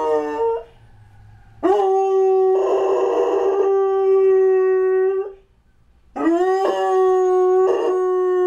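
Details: Vinnie, a Doberman-Labrador mix kept as a pet near a fire station, howls in reaction to a fire truck. A short yelp is followed by two sustained, even-pitched howls that begin with a quick upward swoop, separated by a pause.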